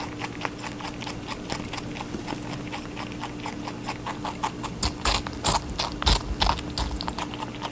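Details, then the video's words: Watermelon being eaten by a rabbit, soft quiet nibbling that grows into louder juicy crunches in the second half, over a faint steady hum. "Rabbit eating a watermelon"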